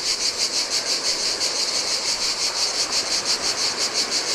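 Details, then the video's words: Chorus of cicadas in summer heat beside the Adriatic sea on a Greek island beach, a bright rasping buzz throbbing roughly three times per second over gentle breaking waves. "Cicadas by the Sea - Ocean Waves & Cicada Sounds"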